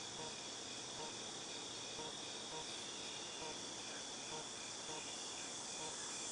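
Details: Shrill continuous buzzing of cicadas, August 2018, holding one even hissing tone throughout, with soft quicker chirps ticking faintly beneath it and a grainy low background rumble.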